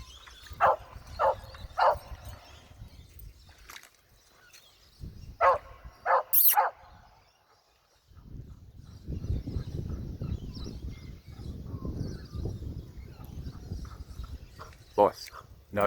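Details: Barking from an Australian cattle dog at Wellington Point: three quick barks, a short pair after a pause, a gap, then steady low rumbling background and one last sharp bark.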